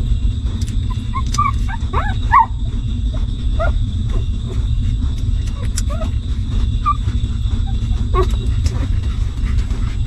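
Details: Hungry newborn puppies of a stray mother dog, suckling milk while she cares for them; short, high squeaky whimpers and yips come in scattered bursts, mostly in the first four seconds, over a steady low rumble and hum.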